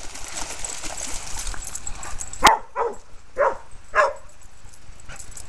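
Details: A red and white purebred male Aussie, Brule, one and a half years old, playing and herding fellow dogs at Bear Creek Dog Park by a creek; four brisk barks come roughly every half second over low background murmur.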